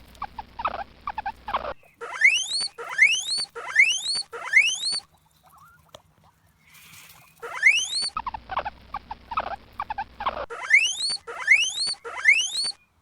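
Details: Preá or guinea pig alternating rapid buzzy chutter with series of shrill upward-sliding wheeks, about one per second, pausing briefly mid-clip before resuming; faint low background hum.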